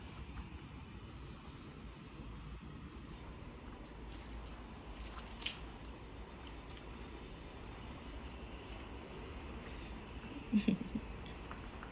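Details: Quiet indoor room tone with a steady low hum, faint scattered ticks, and a short clatter near the end.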